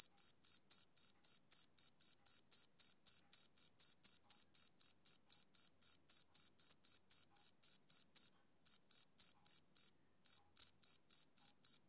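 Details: Rhythmic chirping of a male cricket, typical of summer evenings: rapid high-pitched pulses at a steady pace of roughly three and a half per second, broken by two brief pauses near the end, with nothing else audible.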